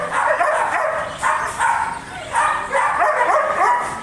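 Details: German Shepherd giving excited, choppy barks and yelping whines in quick irregular bursts, several sharp onsets over a few seconds with steady background hiss.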